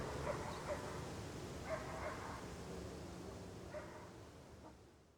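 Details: Dog barking outdoors within general outdoor ambience: a few faint, short barks scattered across the clip, some in quick pairs, over a steady low background rumble that fades toward the end.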